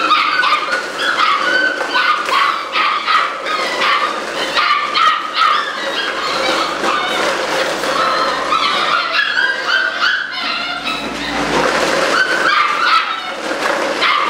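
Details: Eight-week-old Malinois puppies, raised in a busy, socialized setting, yap together in a steady stream of high, shrill yips and short barks mixed with whimpers, several pups overlapping with hardly a pause, over a constant background hiss.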